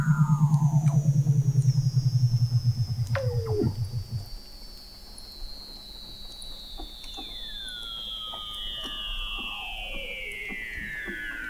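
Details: Weddell seals singing under Antarctic sea ice at McMurdo Sound, November 2017, from 21 m below the ice: a rapid low pulsed trill for four seconds, then long high descending whistles sliding slowly downward.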